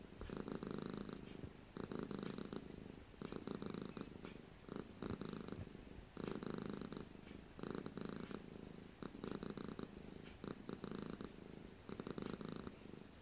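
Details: Steady purring from Gara, a pet cat: deep vibrating bursts roughly every one and a half seconds, about nine even cycles of grainy pulsing rumble with short pauses between breaths, nothing else audible.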